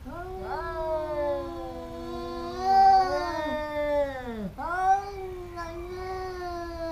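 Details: Two domestic cats fighting and biting each other repeatedly, giving long drawn-out wailing yowls that waver up and down in pitch, one swelling louder near the middle, then a sharp dip and renewed howl.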